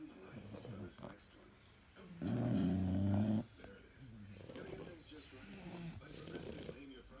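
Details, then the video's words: English Bulldogs asleep indoors, one giving a drawn-out, droning snore of just over a second with layered low harmonics, framed by quieter wheezy breathing and soft household noise. "Sleeping Snoring Bulldogs"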